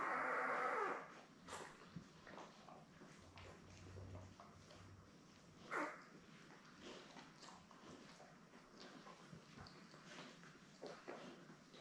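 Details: Newborn Labrador Retriever puppies, born May 24, 2021, in a litter of seven with their mother Belle, on an indoor live puppy cam on June 3. A loud, harmonic squealing whimper lasts about a second, then quiet rustling and faint shuffling follow.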